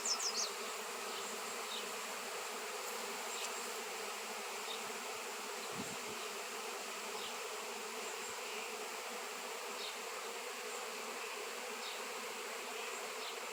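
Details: Honey bees swarming over a raw shungite stone, a seven-pound piece, where the species had gone unseen for years; continuous thick droning buzz of many insects, a brief low thump mid-way, scattered high clicks.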